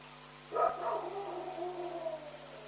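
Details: Dog barking at night in Pyrga: a single hoarse bark with a second quick pulse right after, trailing into a fading tail, over a steady electrical hum and a high whine.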